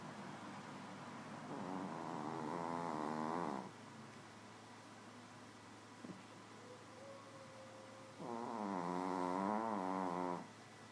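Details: Nouchka, a little Shih Tzu, snoring in her sleep: two drawn-out, wavering nasal snores of about two seconds each, separated by quiet breathing, with a faint click midway and a steady electrical hum underneath.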